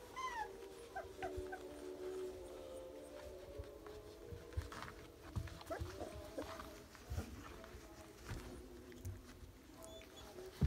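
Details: Several young Rottweiler puppies, eyes just opening and learning to walk, give thin, wavering, overlapping whines in short bursts, with a few higher rising squeaks near the start and soft shuffling in the gaps.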